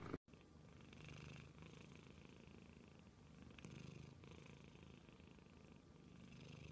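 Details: Quiet, deep purring from a domestic cat, soft humming pulses coming and going beneath a hissy background after a short cut at the start.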